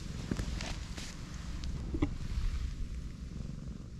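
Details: Pregnant black stray cat rolled onto her back while her large belly is stroked; steady low rumbling purr throughout, with a few soft rustles and light clicks on top.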